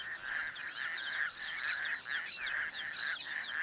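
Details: Male toads call by day from reeds in a small dam on the outskirts of Cape Town as pairs spawn in the shallows. Their breeding chorus of overlapping, throbbing trills pulses roughly every half second, with higher chirps above.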